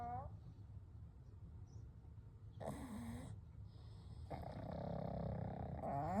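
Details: Pugs Kou, Gen and Shun sleeping side by side; a low rumbling breath is followed by a short raspy snore, then a longer wheezing, whistle-tinged exhalation that swells toward the end.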